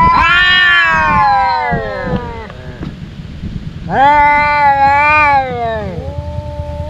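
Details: Fighting domestic cats, two brothers that quarrel every day: a long descending howl, a gap of low scuffling, then another sustained wavering yowl that drops and trails off into a softer tone.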